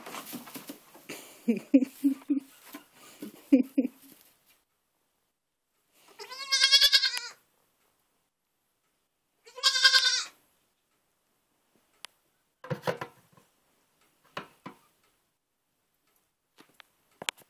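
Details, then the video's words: Baby goats, newly acquired, indoors: a person talks and laughs at first, then two loud wavering bleats around six and ten seconds, followed by a few short clicks and knocks. "baby goats"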